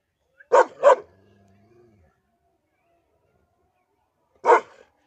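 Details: Dog barking aggressively at its owner: two quick sharp barks close together, then a long pause with a faint low murmur, and one more single bark near the end.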